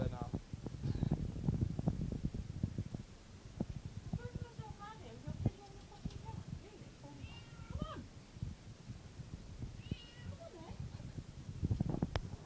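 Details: A Bengal cat, newly added to a household, meowing indoors: several short, high, bending meows come in small bursts, mixed with thumps, handling noise and some speech.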